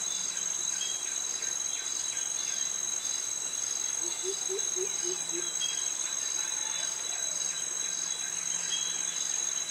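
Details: Jungle insects of Krabi, Thailand, cicadas singing a mating call together with crickets, form an unbroken high metallic drone. A brief burst of about six low, knocking notes comes near the middle.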